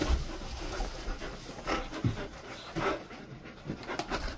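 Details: A Golden Retriever rests in a cool air-conditioned room, panting steadily in quick breathy bursts roughly every half second, soft and noisy, indoors with little else heard.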